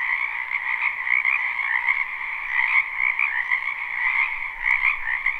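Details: Frogs crowd a wetland behind a house in spring, their croaking recorded live: thick rattling trills overlap into one steady drone, with brief louder surges and a single sharp click near the end.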